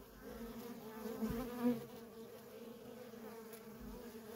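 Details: Worker honey bees busy at a feral colony, a constant low buzz with individual bees passing close and louder around the middle, then settling back into the drone.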